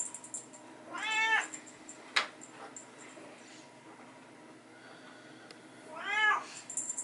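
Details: Bengal cat meows during indoor hallway play time with a teaser toy, kittens playing alongside their mother; two short harmonic meows, rising then falling, near the start and near the end, with a sharp click and soft rustling between.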